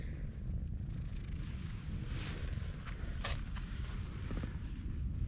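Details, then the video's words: Loud low purring from a stray female cat being petted, a continuous rhythmic rumble throughout, with brief rustles and handling noises near the middle. "A stray cat with silent meows but loud purrs"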